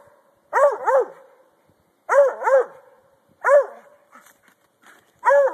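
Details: Domestic Treeing Walker Coonhound treeing at a log, an activity he loves; loud, ringing double barks with arched pitch, in bursts spaced about one and a half seconds apart, with a faint extra yip near the end.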